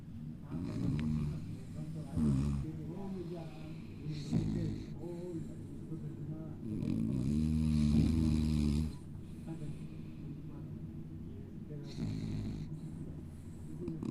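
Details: Paquita, a female pet dog, sleeping and snoring in a snoring contest; low, rumbling snores pulse in a fast, fairly steady rhythm, with human voices talking over them at times.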